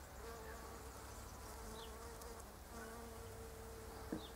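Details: Bees foraging among pink Japanese quince blossoms, flying between flowers: a steady mid-pitched buzzing hum that holds for over a second, fades, then returns, with a faint high bird chirp in the background.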